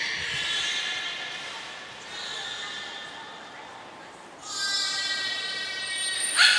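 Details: Training session with belugas Gray, Nana and Mirai at Port of Nagoya Public Aquarium, 6 August 2023. Nasal, harmonic calls rise and fall in two stretches. A brighter, more intense burst follows near the end, with a short high whistle and a sharp final click.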